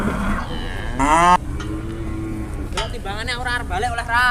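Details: Large cattle brought to a market in Indonesia in the morning: a short low, level moo in the middle, framed by bursts of loud nearby speech from traders and background market noise.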